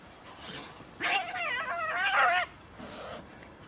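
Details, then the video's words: During a cat fight, a tense, quavering yowl wobbles up and down for about one and a half seconds, followed by a fainter hiss. "fierce fight of cats"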